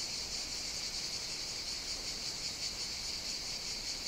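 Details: Summer chorus of cicadas on the Greek island of Evia: an unbroken high-pitched buzz with gentle rhythmic swells, steady in volume from start to end.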